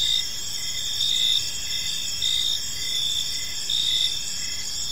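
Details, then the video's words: Evening in a peaceful park, crickets keep up layered shrill trills while a softer chirp pulses roughly every second, with a gentle low background hush. "Park Serenade: Cricket Sounds in a Peaceful Park"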